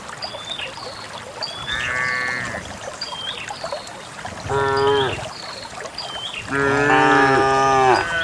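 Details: On a quiet countryside morning, a herd of dozens of cows heads for a green valley to graze. A thinner, higher-pitched moo comes first, then two deeper, fuller moos, the last one longest. Bird chirps run throughout.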